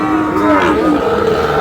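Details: Sahiwal bull calf at the Aftabganj cattle market in Dinajpur, Bangladesh, on 25 July, during trading at the start of the market. A sustained, low, harmonic-rich moo slides gently downward, with people talking close by.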